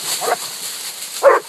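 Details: Coonhounds on a raccoon hunt at a new spot: two Walkers aged 8 months and 5 years, a 6-year-old black and tan and an 18-month-old bluetick, treed a coon 8 minutes after turnout. Two short, hoarse barks, the second louder, over faint background hiss.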